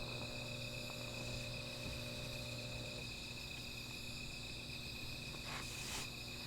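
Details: Insects calling at night near a small fire: a continuous shrill ringing drone with a fainter higher layer, a low hum that cuts out after three seconds, and brief rustling bursts near the end.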